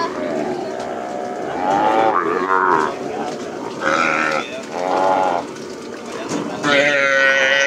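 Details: Young cattle let loose after branding on a lowland plains ranch: a chorus of hoarse, wavering bawls, each lasting about a second, overlapping one another, with human voices in the background.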